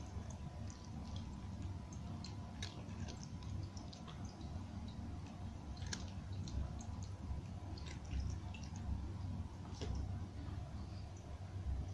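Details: Steady crunching and clicking of dry food being chewed indoors, with soft drip-like ticks and a low hum, and no calls or vocal animal sounds.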